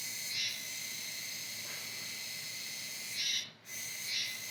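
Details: A Kuroiwa tsukutsuku cicada, autumn singer until around November, buzzing steadily with rasping 'juwa' accents near the start and toward the end, interrupted by one brief pause.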